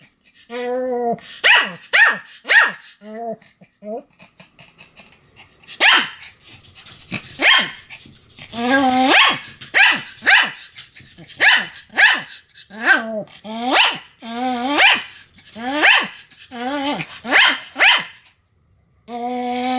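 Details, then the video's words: Pomeranian named Sam barking continuously, recorded 7 October 2015: sharp high barks in irregular bursts, some with a short whine-like tone between them, over about twenty seconds. "犬の鳴き声 ポメラニアン サムの連続吠え"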